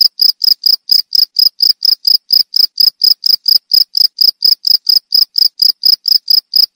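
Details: Cricket chirping steadily, each short, high, pure chirp repeated about three to four times a second in an even, unbroken series with no other sounds.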